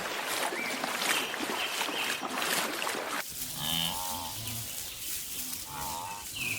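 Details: A long line of wildebeest crossing grassy African hillsides: a loud hissing, crackling wash of noise for three seconds, then a few nasal honking grunts with quavering tone, plus sharp high bird whistles.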